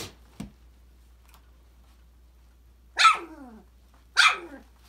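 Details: Australian Labradoodle pups, five weeks old, at play in an indoor enrichment playground: two loud, harsh yelps about a second apart, each sliding downward in pitch, after a quiet stretch with a couple of soft knocks.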